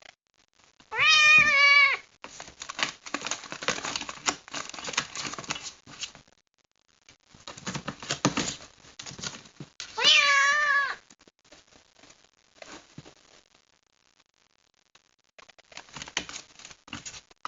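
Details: Unhappy kitten shut in a box after being rescued from the rain, giving two long, quavering, plaintive meows about nine seconds apart, with persistent scratching and crinkling of the box in between.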